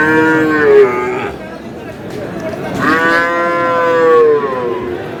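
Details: Sahiwal breed bull from Kurigram, 5 May: two long mooing bellows, the second swelling and sliding slightly downward, separated by a brief pause filled with murmuring voices.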